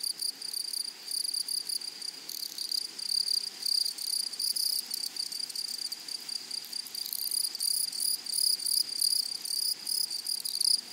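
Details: Grasshoppers stridulate in a flowering meadow with a steady, high-pitched rasping buzz. The buzz is broken into rapid fine pulses and swells slightly in places over a soft background hiss.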